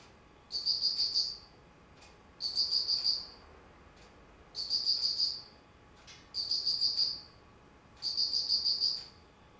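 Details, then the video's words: Autumn insect recorded on 19 September 2009 in Japan: bright high trilled chirps in bursts about one second long, repeated roughly every two seconds over a quiet background. "秋 虫の鳴き声"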